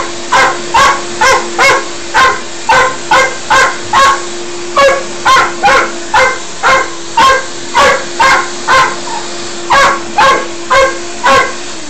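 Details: A dog barks excitedly at a running vacuum cleaner, in rapid repeated sharp barks about two per second, with brief pauses. The steady drone of the vacuum motor runs underneath throughout.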